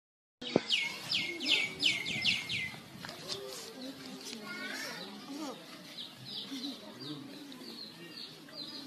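A lemur gives a quick run of high, downward-sliding squeaks while demanding affection, with people talking nearby.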